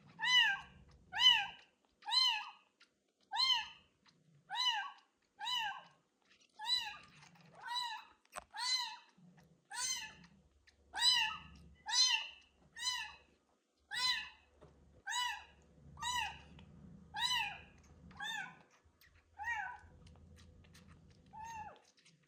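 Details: Ringworm-stricken kitten, abandoned in a street box, crying loudly while bathed in medicated shampoo: steady series of piercing, downward-curving meows about once a second, rich in harmonics, with soft water sounds and handling noise underneath.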